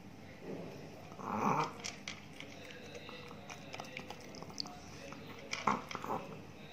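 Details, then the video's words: A big Chihuahua named Ted in Indonesia eats new dog food. A short nasal whine-like sound rises early, followed by scattered crunches and a cluster of sharper bites near the end. "ASMR DOG EATING DOG FOOD"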